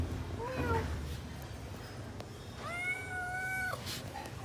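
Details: Hungry kitten at home looking for its parent cats: one short, falling mew, then after a pause a long, steady, even-pitched meow lasting about a second, with faint low hum behind.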